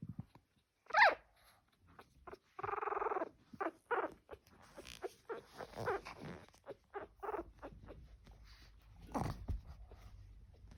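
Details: Fourteen-day-old pug puppies, newly walking, give small low noises under their watchful mother: a sharp brief whine, then a run of nasal grunts and squeaky snorts, and another thin whine near the end.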